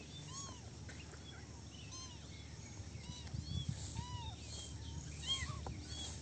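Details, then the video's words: A basket of small kittens at play, letting out brief curved mews roughly every second, each a quick rise and drop in pitch, against a low, steady rumble. "Basket of cute little kittens meowing and playing"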